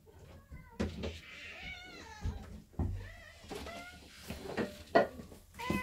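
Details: Cats at a cat door indoors, meowing in short, overlapping, rising and falling calls, mixed with knocks and clatter from the door.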